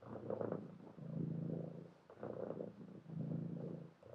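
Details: Domestic cat purring steadily at close range, a low rumbling drone that swells and fades with each breath, roughly one cycle per second, with no other sounds.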